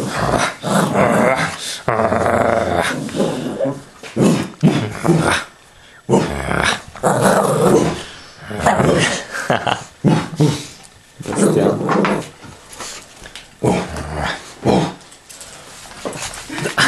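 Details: A Shih Tzu named Roksana growls in rough, throaty bursts lasting one to two seconds, broken by short pauses, while a person speaks Polish at intervals.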